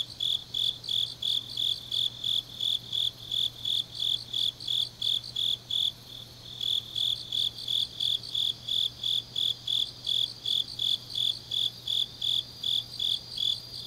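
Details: Grass insects on a deep autumn night in Changnyeong, South Gyeongnam, Korea: a high, clear chirp pulsing about three times a second, steady and even, with a softer buzzing chorus layered above and a faint low hum underneath.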